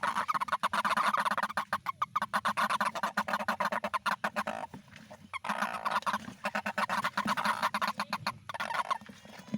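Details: A dense rainy-season toad chorus runs throughout, with overlapping nasal honks pulsing rapidly and dipping only briefly before rising again.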